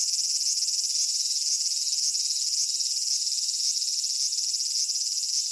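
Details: Summer cicada chorus recorded at Michinoku Folk Village and Kitakami Tenshochi in Kitakami, Japan: shrill, unbroken high buzzing with rapid pulses and slight regular swells, a faint lower murmur early on.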